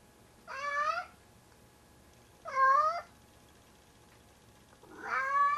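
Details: Tigger, a heavy male pet cat of about 25 pounds, calling at night while bringing his "kitten", a pair of socks, to bed; three drawn-out, strained meows roughly two seconds apart, the last one louder and rising, in a quiet room.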